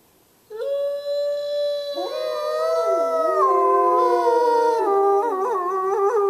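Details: At Christmas, wolves of the Lakota Wolf Preserve break silence with a single clear howl, joined by more voices into a rich overlapping chorus of sustained, sliding tones ending in short wavering notes.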